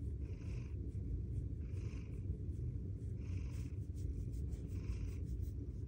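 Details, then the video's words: Bengal cats snuggled together in a closet during very cold days meow and purr, a steady low rumbling drone that swells in a slow breathing rhythm. "Closet kitty meowing and purring!"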